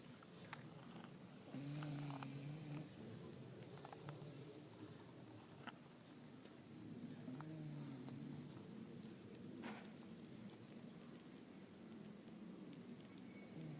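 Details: Sound asleep, a dog breathes in a soft low rumble, with louder buzzing snores rising twice, once early and once midway, over faint indoor background clicks.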